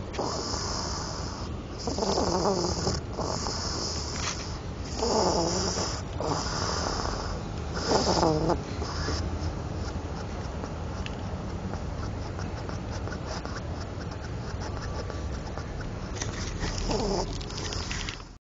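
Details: Hedgehog snoring: rhythmic wheezy, rasping snorts roughly every one and a half seconds over the first nine seconds. They then ease into softer, steady breathing with a final faint snort, over a constant background hiss.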